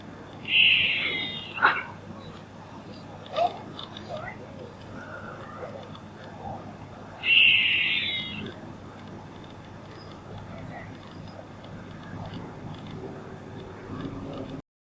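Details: Squirrel calling: two loud, high-pitched, buzzy squealing bursts, each about a second long, spaced roughly seven seconds apart. Faint clicks and soft knocks fall between them over a steady background hiss.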